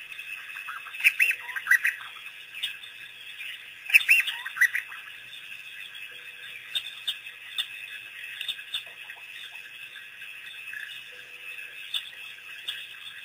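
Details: African wild dog pack, released by researchers, making its first visit to Pete's Pond waterhole on April 5, 2008; two sharp bursts of high twittering squeaks near the start, then sparse faint chirps over steady hiss.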